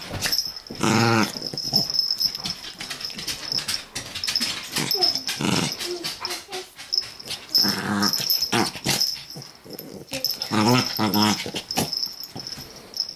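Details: Chihuahua puppy play-fighting with another chihuahua: raspy growls and wheezy yaps in short bursts, with a steady high whine throughout and scuffling noises.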